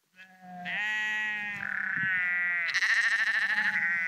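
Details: Sheep on the Porrenkoogdeich dike near Husum in Nordfriesland, walking along; one long sustained bleat slides lower, then another bleat breaks in with a rough, trembling vibrato, both loud and rich in harmonics.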